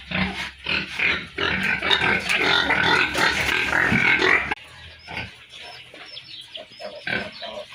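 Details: Farm piglets in a loud burst of rapid, overlapping squeals that cuts off abruptly midway, followed by quieter scattered grunts and squeaks.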